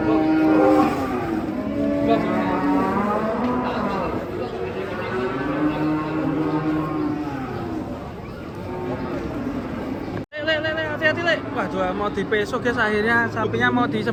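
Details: Masked cow, described as raging hard while coming down off a truck, lowing in long, deep moos that bend and waver in pitch, one after another for about eight seconds, with voices and vehicle noise around it.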